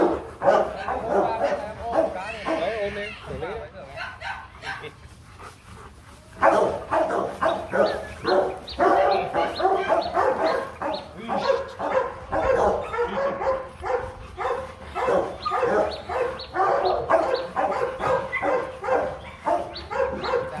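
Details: At a Rottweiler breeding kennel in Vietnam, during the mating visit of a Hưng Yên female to champion Loki, dogs give repeated hoarse barks, nearly two per second, with human voices mixed in.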